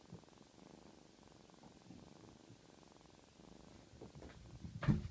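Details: Small black kitten purring, a soft low rapid rattle steady for about four seconds, followed by a few louder rustling bumps near the end.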